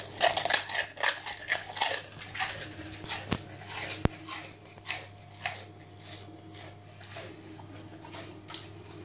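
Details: An 8-month-old Rottweiler eating prawn crackers for the first time crunches noisily, with quick, irregular bursts of crisp snapping and chewing.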